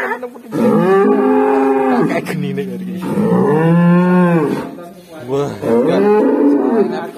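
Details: A black cow that suddenly makes a strange sound: long, drawn-out harmonic moos, each one to two seconds long, arching and wavering in pitch, come in three bouts with short breaks between them.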